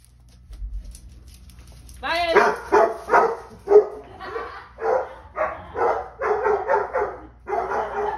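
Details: Two Basset Hounds, Ari and Musta, talking back: after a quiet start with faint voices, a rising howl opens a string of drawn-out, baying barks and yowls, about one per second.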